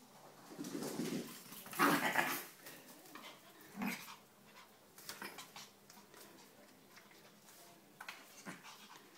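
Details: An 8-week-old whippet puppy plays with a 6-year-old Maltese x Chihuahua. A cluster of yelping, whiny bursts comes early, then irregular softer grunts and scuffles, with a person calling out nearby.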